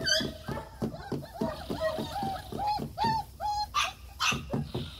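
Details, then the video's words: German Shepherd puppies whining: a string of arched, tonal whines, each under half a second and repeated at a quick uneven pace, mixed with short yaps and soft background voices. "German Shepherd Pups"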